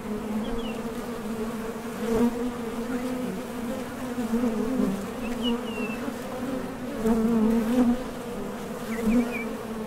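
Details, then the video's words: Foraging honey bees buzzing right at the entrance of a top bar hive; a constant low drone rising in loud surges as bees pass near, with faint bird chirps in the background. "HONEY BEES Sound Effect #MasonJar | BEES BUZZING"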